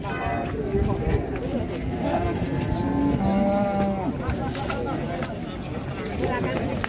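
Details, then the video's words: Raging cattle bellowing: low, drawn-out harmonic moos rise faintly through a dense wash of crowd noise and talking, with steady rumbling in the background. "SAPI NGAMUK TERBARU‼️ADA 2 SAPI YANG NGAMUK SADIS"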